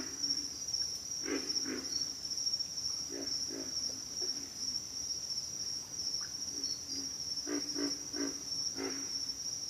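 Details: Pig frogs giving short low grunts, single and in quick clusters of two to four, scattered through the recording over a steady high insect drone.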